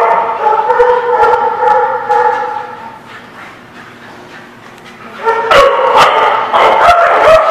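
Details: Group of dogs on 17 April 2017, steady overlapping howl-like tones that fade to a lull around the middle, then a burst of loud, clipped barks and yips in the final two seconds.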